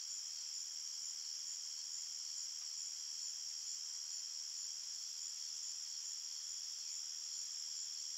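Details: Many crickets chirping in a forest at night, a continuous high, ringing buzz of layered trills with no breaks and nothing else audible.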